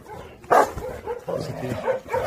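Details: Pungsan dogs in a kennel during the merging of a newcomer dog and a rank-sorting scuffle; one sharp bark near half a second, then a run of lower grumbling yips and whines.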